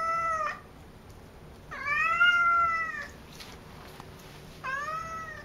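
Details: Talkative house cat Cassidy meows three times indoors: a short meow, then a longer drawn-out one that rises slightly and levels off, then a third starting at the close, with quiet pauses between.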